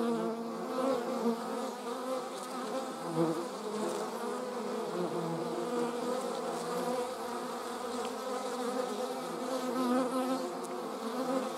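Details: Honey bees and wasps in flight give a thick, even hum of many layered buzzing tones that holds steady for the whole stretch, with faint soft clicks above.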